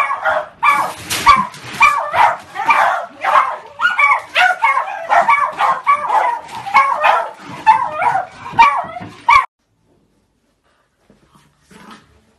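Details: Beagle puppies yapping in rapid, high, harmonic yips, about a hundred a minute, overlapping and uneven for roughly nine seconds before the recording falls silent.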